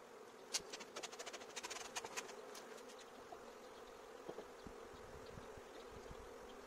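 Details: A swarm of bees invading a courtyard, before a beekeeper was called in: a steady low droning hum, with a burst of sharp clicks and taps over the first few seconds, then a quieter even buzz.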